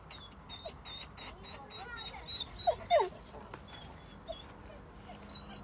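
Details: Jay, a female dog dodging the playful male Tegu, lets out a few sharp, quick whimpering yelps around the middle, with scattered faint squeaks, human voices and a quiet hum behind.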